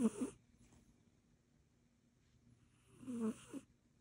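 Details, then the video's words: Sleeping Egyptian Mau cat snoring: two short breathy snores about three seconds apart, each with a low buzzing rasp and hissy air, separated by quiet breathing. "snoring cat"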